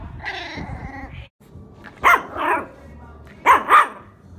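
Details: Shiba Inu producing a short whine, then two pairs of quick sharp barks separated by about a second and a half of quiet.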